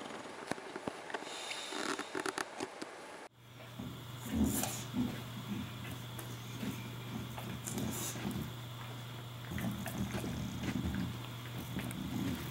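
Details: Porkchop, an English bulldog, hiccuping and snoring indoors: low snorting breaths and abrupt hiccup bursts come in irregular bouts over a steady low mechanical hum, after a short, differently recorded opening.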